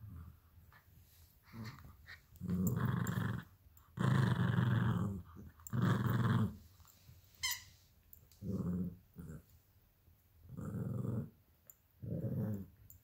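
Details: Play-fighting over a toy fox, a 12-week-old Alaskan Klee Kai cross Pomeranian puppy and a 7-year-old American Eskimo cross Chihuahua growl indoors: deep, rough growls in bursts of about a second, with short gaps and a brief squeak between.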